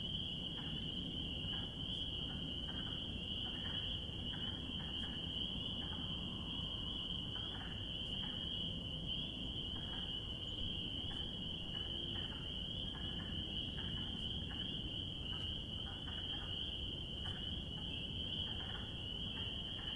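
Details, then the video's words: Spring peepers in spring forming a dense, unbroken high-pitched chorus, with faint scattered short peeps and clicks above a low rumbling background. "Relaxing Sounds of Spring Peepers!"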